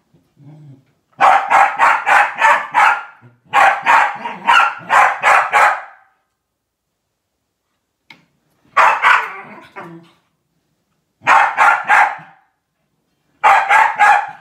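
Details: Corgi named Sophie barking to protect her owner from an elliptical machine indoors; loud rapid bursts of sharp barks, four to six per burst, in five bouts separated by pauses of one to two seconds.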